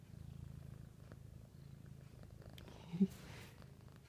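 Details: Siamese cat under a blanket indoors, producing a soft, even, low purr that eases in strength after the first second, with a brief louder rustle near the three-second mark.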